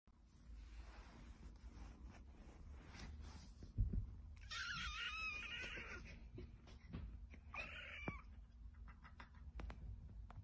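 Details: A cat gives a long, strained, wavering yowl lasting close to two seconds, then a shorter rising meow a moment later, over a steady low hum.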